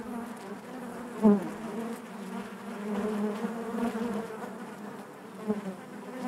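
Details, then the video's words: A hive full of honey bees gives a steady low drone; one bee buzzes loudly close by near the start, then the colony hum continues evenly with a slight swell midway. "bees therapy hive natural buzzing sound"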